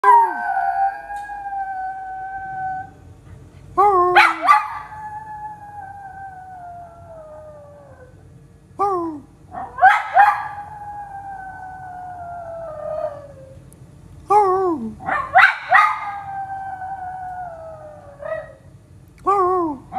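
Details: Pet dog howling along with a passing ambulance siren: long, drawn-out wavering howls that slide downward, repeated in several bursts across the recording, with short sharp rises between them and a low steady background rumble.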